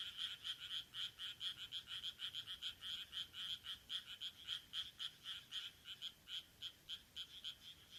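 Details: Late June 2023 rice paddy frogs in Taihaku Ward, Sendai, Japan, giving distinct, clicky pulsed notes at roughly four per second, rhythmic at first and then more irregular with short gaps.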